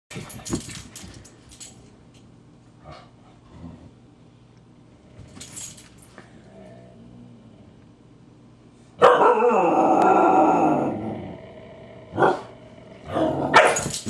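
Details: Two huskies, puppy Loki teasing grouchy adult Siku, who snaps and bares teeth: quiet scuffling and soft grumbles, then a sudden loud rough growling snarl lasting about a second, followed by short sharp snaps.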